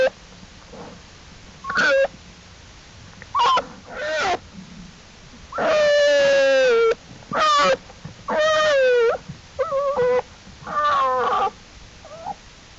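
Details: Jewel the black bear's cubs, following their mother out of the den to explore on April 2, 2012: a busy run of whiny, harmonic squalls, one long descending cry near the middle, and several quick overlapping calls.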